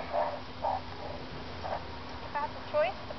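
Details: Meerkats at a safari park, being rounded up by keepers to be given medicine, give short, squeaky chirps in an uneven series, some rising sharply at the end.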